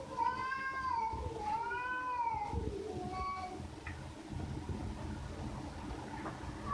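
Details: Cat voicing a few short arched meows early on, fading to quieter faint calls, with low background noise and rumble throughout.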